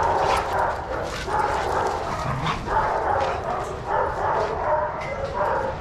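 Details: Dogs romping together in a Pima Animal Care Center yard in Arizona under handlers' supervision; rapid, repeated barks and yips from several animals overlap steadily, with faint human chatter.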